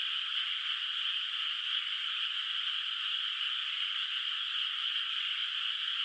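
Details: Frogs heard from afar on a quiet moonlit night over a flooded, still-unplanted rice paddy in the countryside; an unbroken, even, shrill chorus hums throughout, individual calls blurred together.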